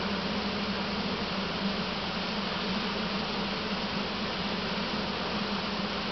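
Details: Swarm of honey bees being moved from a swarm trap into a single deep hive; continuous thick, even buzzing with a strong low drone throughout, no pauses.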